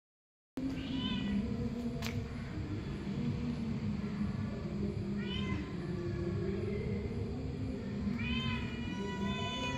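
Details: Cat meowing three times, short rising-falling harmonic meows spaced about four seconds apart, over a steady loud low hum throughout.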